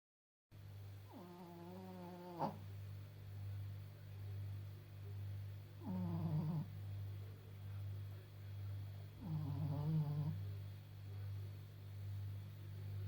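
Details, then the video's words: Maggie, a blind, slightly deaf 14.5-year-old Pekingese, snores in her sleep; as a brachycephalic breed she always snores. Three harsh, rattling snores come about every four seconds over a steady low hum. "Пекинес Мэгги - моя старушка и храпушка"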